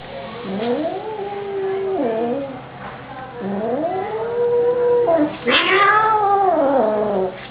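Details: Persian cat fighting with an Indian cat, a pet: long wavering yowls that rise and fall in pitch, drawn out over one to two seconds each, with a harsh louder outburst near the end.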